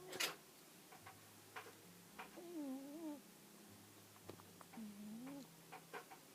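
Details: Jiji, an Exotic Shorthair cat and shop mascot, snoring softly: nasal, whistling wheezes that waver up and down, two breaths a few seconds apart, over a steady low hum and scattered faint clicks.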